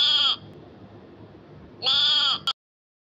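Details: A goat out grazing gives two harsh, nasal bleats about a second and a half apart. The first is brief and the second is longer, ending in a sharp click before sudden silence.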